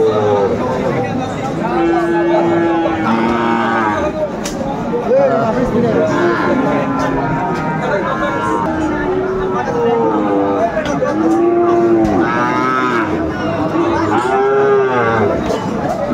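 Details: Sahiwal cattle at a livestock market in Comilla, Bangladesh, on 1 October 2024. Several drawn-out, wavering moos rise and fall over steady crowd chatter and men talking nearby.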